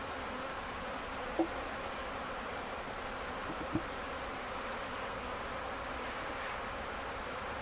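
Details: Honey bee swarm caught on May 11, 2025, at an Ontario farm, Canada, by its own beekeepers; dense continuous buzzing hum, broken by two short sharp knocks.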